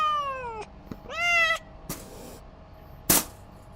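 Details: Angry domestic cat making two loud meows, the first falling, the second rising and held, followed by sharp clicks and a brief hissing burst.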